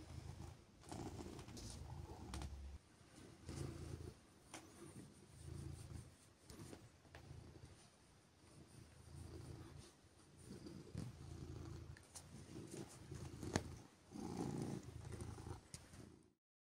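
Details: Softer purring from Siberia, a silver tabby cat revving up from sleepy quiet while cuddled on a chilly morning; a faint low rumble comes and goes in slow waves under scattered clicks and handling sounds.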